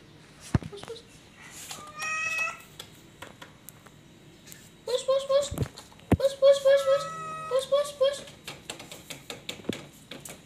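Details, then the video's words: Domestic cat giving several drawn-out, wavering meows indoors, a short one near the start then a longer run of rising and falling cries, mixed with clicks, knocks and people talking. "Weird and very cute cat"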